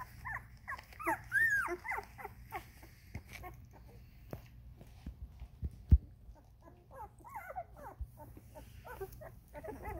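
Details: Thirteen-day-old Vizsla puppies give a stream of thin, high squeaks and whimpers that rise and fall; finding: Vizsla puppies.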